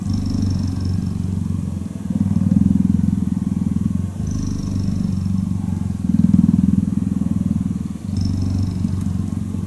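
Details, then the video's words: A cuddling cheetah purrs continuously, a low vibrating drone broken into breath cycles of about two seconds, each exhale louder and fuller than the inhale before it. "Cheetah Cuddling & Purring"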